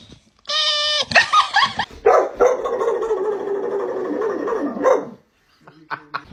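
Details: Pet dog making funny sounds: after a brief burst of human voices, a long, drawn-out, wavering howl-like whine lasts about three seconds, then fades to quiet.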